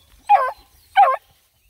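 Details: Two sharp, yelping barks roughly 0.7 seconds apart, each bending downward in pitch with a howling tone, come from Black and Tan Coonhound puppies, part of a litter of nine taken on a pond hike; the background is quiet otherwise.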